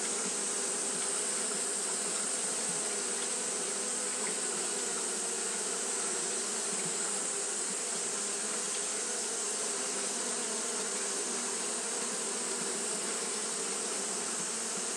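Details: A long, unchanging drone from Japanese honey bees kept fanning on a hot day, low humming tones and a bright high hiss holding steady for the whole fifteen seconds with small ripples of wingbeats.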